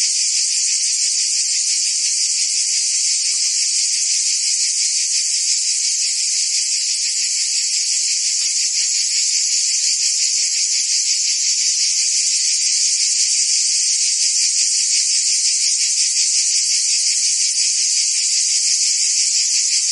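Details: A thick wall of high cricket and insect trilling, steady and even in loudness, with a quick underlying pulse and nothing else audible.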